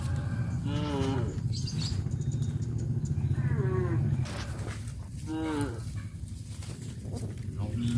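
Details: Tame village cows herded toward a grazing field give three drawn-out, slightly falling moos spaced a couple of seconds apart over a steady low engine-like rumble during the first half.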